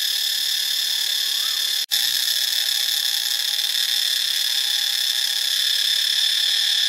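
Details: Cicadas in Ubon Ratchathani, Thailand, producing a constant high-pitched, hissing drone. It cuts out abruptly for an instant near the two-second mark, then resumes at full strength.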